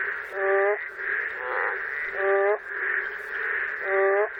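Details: Boreal digging frog calling in Korea, heard as a funny, out-of-tune voice: nasal harmonic calls about every 1.7 seconds, each with a cracking shift in pitch, over a steady high chorus of other calling frogs.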